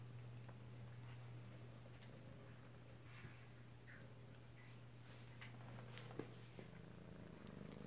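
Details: Alabama kittens purring at home, close-up, 2/7/18: a continuous low, even rumble holds steady throughout, with faint soft rustles and no voices in a quiet small room.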